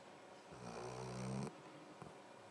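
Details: Luke, a pet dog, snoring while asleep indoors: a single drawn-out, rumbling breath of about one second with a low, layered tone that swells and then cuts off abruptly, followed by quiet.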